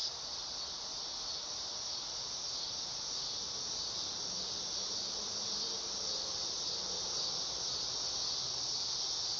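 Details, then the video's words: Dog-day cicada producing a continuous, hissing high drone with an even loudness throughout. Faint lower murmurs sit underneath the buzzing. "Cicada sound / call / noise | Dog day"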